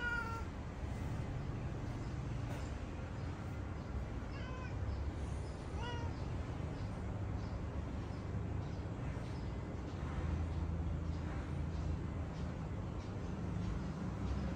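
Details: Mocha, a pet cat in fighting mode on seeing other cats, gives a series of short, harmonic meows over the first six seconds, with fainter calls later, all against a steady low rumbling background.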